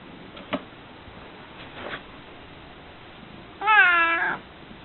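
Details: Female house cat giving a groggy evening or morning meow: faint soft sounds first, then one clear drawn-out meow of about half a second, slightly wavering, in a quiet room.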